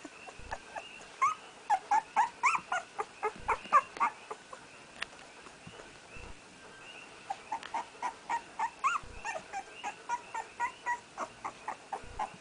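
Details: Newborn puppy named Red, firstborn of Aina's first litter and first to open his eyes, trying to walk: rapid series of high, thin whimpering squeaks with arched harmonics, about four a second in two bursts with a short pause between.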